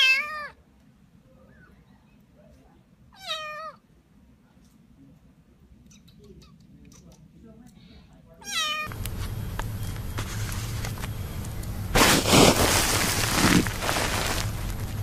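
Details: Domestic cat meowing three times indoors, each meow a short, clear, harmonic cry that rises and then falls, spaced a few seconds apart, followed by loud rustling and handling noise.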